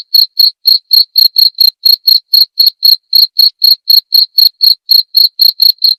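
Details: High, pulsed cricket chirps in a steady rhythm of roughly four per second for six seconds, recorded as training material for songbirds and as therapy, the background otherwise silent.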